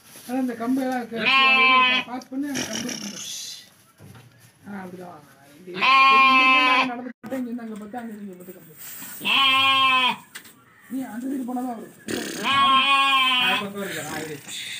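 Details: Young lambs offered for sale, bleating loudly in repeated, wavering, nasal cries about every two to three seconds, with softer bleats between, amid background music and people talking.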